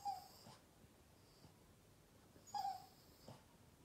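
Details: Upset Boston terrier named Yoda whining to get attention; two brief, thin, high-pitched whines, one at the start and another about two and a half seconds later, with soft breathy snuffles and a quiet background between them.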